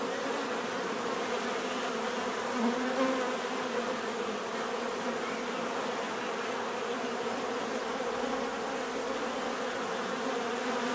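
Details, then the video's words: Steady natural bee buzzing, a sustained low hum. Around the third second a single bee flies close by, its whine rising briefly above the constant swarm noise. "bees therapy relaxing natural buzzing sound"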